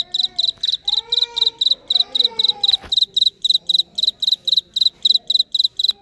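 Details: Cricket chirping steadily: high, shrill chirps of three or four rapid pulses each, repeated about three to four times per second. Vietnamese voices talk softly in the background during the first half.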